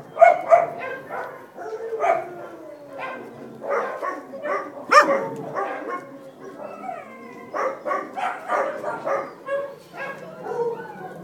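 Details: Dachshund pups alongside their mother, August 5th 2011, trade sharp yips with long gliding whines that slide downward, then climb into rising squeals before bursts of quick, choppy barking.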